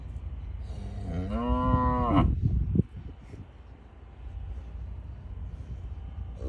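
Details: Brahman bull calf from a registered herd near Westhoff, Texas, bawling on weaning day during a fresh cold norther; one drawn-out moo of about a second, rising then holding with many harmonics, followed by a few clatters and steady background rumble.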